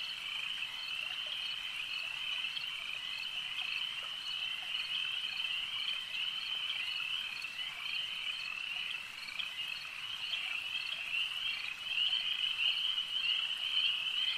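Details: Frogs chorusing at a lake: a long, continuous high-pitched trilling with irregular accented pulses about twice a second, briefly dipping near the middle before growing louder and brighter in the final seconds.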